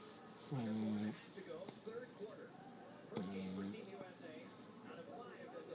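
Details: Stanley, a pet puggle, asleep and snoring: two loud, low, tonal snorts about three seconds apart, each lasting roughly half a second, with steady murmuring voices in the background.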